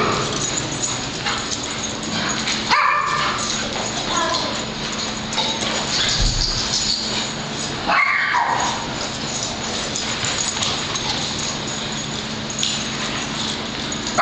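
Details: Several dogs playing and chasing at a dog daycare club, one named Penny chasing another named Patrick while others join in; scattered sharp barks and yips over a constant noisy hum, with loud bursts near three and eight seconds.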